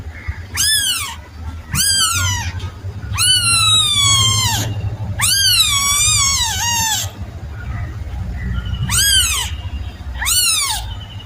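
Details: Series of seven plaintive kitten mews. Some are short and arched, and two longer ones waver and drawn out in the middle. All are high and clear, with steady low background noise.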